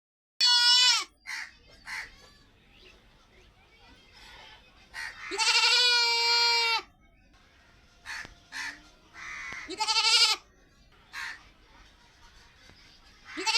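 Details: White female goat tied in a village hut, bleating: loud nasal bleats, one long wavering cry lasting nearly two seconds, shorter ones before and after, with faint chirps and rustling between.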